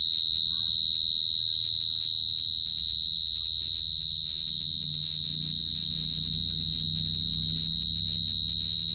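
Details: Cricket trilling nonstop at a high, steady pitch, the rapid pulsing constant for the whole stretch, with low rumbling and murmuring sounds growing in the background.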